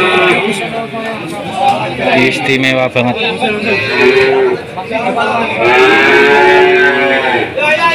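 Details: Cattle at a busy market, apparently Jatirogo or Tuban, during a PMK (foot-and-mouth disease) outbreak: a couple of drawn-out, arching moos rise from a dense wash of human chatter and crowd noise.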